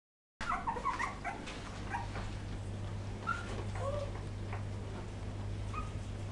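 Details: Poodle puppies recorded in 2012, giving a scatter of short, high whimpers and squeaks that rise and fall, several at once, over a steady low electrical hum.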